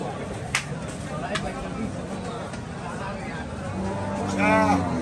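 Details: Cattle at the Saturday Paragram cattle market, Hazratpur: after about four seconds of market chatter and a few sharp clicks, one long low droning moo with rich harmonics sounds near the end, over continuing human voices.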